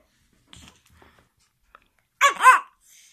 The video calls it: 激しく吠えるシーズー(11)